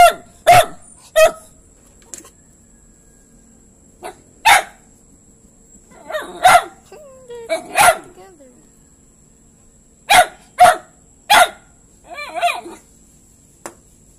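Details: Dog barking in sharp, separate single and double barks, about a dozen over fourteen seconds with gaps of one to two seconds, plus a few softer whining yelps near the end.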